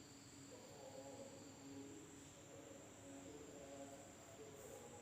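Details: Night-time insects in an Indonesian village keep up a constant high-pitched ringing hum, a second thin tone below it, and faint low murmuring sounds in the background throughout.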